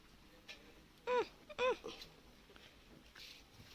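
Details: Abandoned kitten found dumped on the road and being fed milk. It gives two loud, bending meows about half a second apart, with soft human voices and handling sounds around them.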